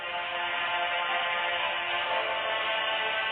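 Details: Continuous instrumental music with a bright plucked-string tone fills the recording, and no animal sound is present.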